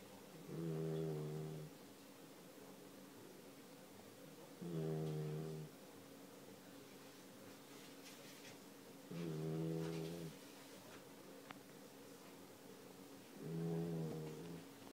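A Siberian Husky puppy snores in low, buzzy rasps, each lasting about a second and recurring every four seconds.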